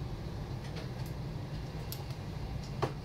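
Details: A low rumbling background with a few faint clicks and taps fills the recording, with no animal sound heard.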